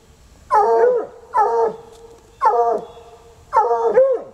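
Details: Untrained coonhounds named Sunny and Hazard baying outdoors, still at it hours later around a car where a raccoon hides; four loud drawn-out harmonic bays, each about half a second, repeating roughly every second.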